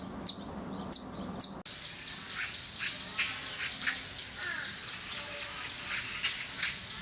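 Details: A few scattered sharp chips from a squirrel, then a regular train of high, clicky notes about twice per second, fairly loud against a soft background hiss.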